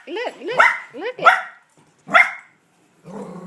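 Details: Male puppy reacting to his reflection starts with rising whiny yips that build into two sharp barks, then one single bark after a pause, followed by a low murmur of a voice.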